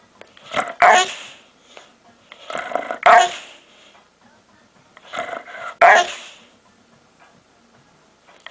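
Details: Dog making weird noises: three bursts of grumbling, groaning vocal sounds, each rising into a louder strained whine-like peak, spaced about two and a half seconds apart, in a quiet room.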